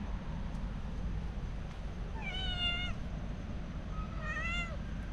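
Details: One of a family of three cats out walking together turns wary when approached to play, giving two clear harmonic meows, the first slightly falling, the second rising then falling, over a low steady outdoor rumble.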